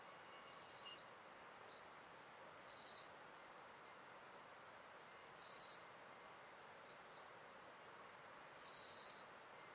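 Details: Southern grasshopper (Chorthippus eisentrauti) singing in Muhrtal, Austria, on 9 October 2020: four short, high, hissing buzz bursts of about half a second each, spaced two to three seconds apart, with tiny faint ticks between them over a quiet background.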